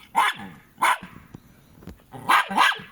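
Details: Jack Russell Terriers Treisy and Azzuro at home, one barking: four sharp bright barks, two early and two close together near the end, with quiet room sound between.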